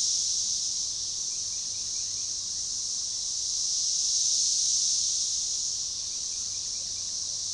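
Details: Periodical cicada Magicicada tredecassini chorus, organized and synchronizing, forest edge near DeValls Bluff, Arkansas, on June 7, 2015; a continuous piercing high buzz rises to one broad swell mid-clip before easing, with a faint low hum beneath.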